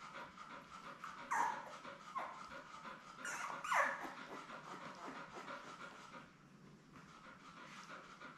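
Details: Newborn Labrador Retriever puppies, a litter of seven born May 24, 2021, lie with their mother Belle on a live puppy cam. Two short, thin, high squeaky whimpers rise above soft continuous panting and room hum.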